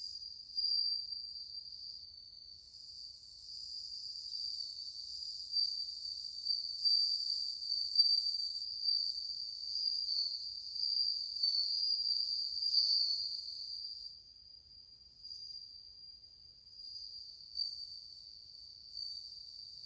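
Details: Plenty of bell crickets sounding cool tones in August 2020; a continuous high, ringing, bell-like trill with shimmering overtones, pulsing gently in volume and softening slightly toward the end.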